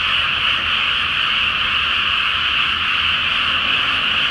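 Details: Large chorus of frogs at night in a flooded rice paddy before planting, under the full flower moon. A dense, unbroken wall of overlapping croaks and trills with no gaps.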